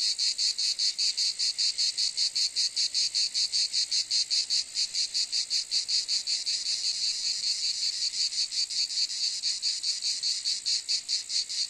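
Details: Cicada call: an intense, sizzling buzz with a steady pulsing rhythm near two and a half beats per second, slightly weaker pulses midway, otherwise uniform and alone.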